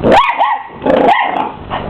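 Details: Male Miniature English Bull Terrier pup aged 12 weeks facing off against a hoover, giving a high shrill bark, a second yap, then a longer growling bark trailing off, loud and close.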